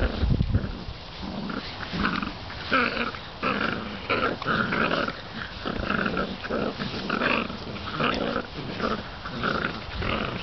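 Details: Seven-week-old bull terrier puppies of one litter growl and grunt in bursts with squeaky, wheezy yips between, all fighting over the same gardening glove.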